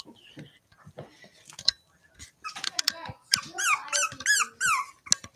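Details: Cavalier King Charles Spaniel puppies playing indoors, giving high, wavering squeaky yelps and whines in quick bursts, with clicking, scuffling and a person talking in the background.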